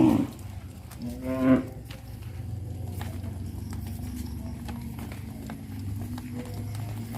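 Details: Cattle on a traditional village farm, walking along the village road back to the barn: one short, low moo with stacked harmonics lasting about half a second, followed by a steady low rumble of background noise.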